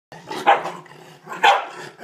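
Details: A corgi barking at a toilet bowl brush it hates: two sharp, harsh barks about a second apart, each with a rough, growly edge, with low grumbling between them.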